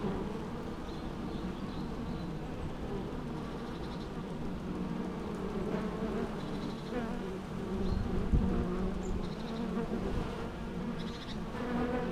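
A steady, droning buzz of many bees, low-pitched and continuous.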